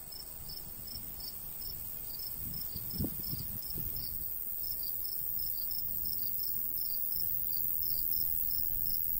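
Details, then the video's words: Crickets chirping in summer countryside beside a golden wheat field, a steady run of short high pulses repeated several times a second, over low rumbling breeze with a brief thump near the third second. "cricket sounds"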